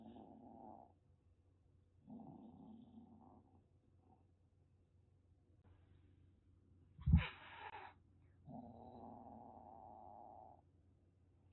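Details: Rescued calico kitten about a month and a half old in Kagoshima, Japan, threatening: soft low growls in separate bouts, with one loud spitting hiss in the middle.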